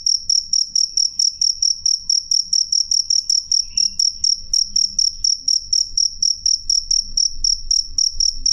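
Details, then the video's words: Clear, loud cricket call, sharp high pulses repeated rhythmically about twice a second without pause, faint low hum in the background. "suara jangkrik jernih keras"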